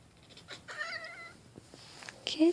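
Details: Pet cat in a small room making a raptor-like noise: a wavering, harmonic chirp held about half a second, some faint clicks, then a short louder squeak and a human voice at the end.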